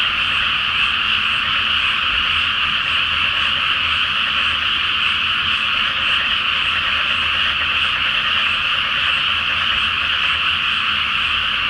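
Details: Massed frogs calling at night from a rice field flooded before planting, under the full Flower Moon, a seasonal nightly chorus: thick, constant croaking and trilling layered together at a steady level.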